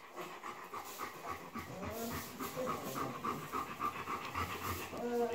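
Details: Three-week-old Bernese Mountain Dog puppies indoors, with quick, soft rhythmic panting breaths, roughly three or four per second, over a steady background hiss, with a faint higher whimpering tone near the end.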